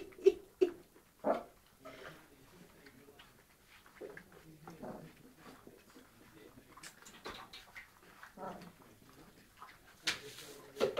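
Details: Four-week-old Landseer (European Continental Type) puppies making scattered soft whimpers and brief high yelps at irregular moments, mixed with quiet human speech and small indoor clatter.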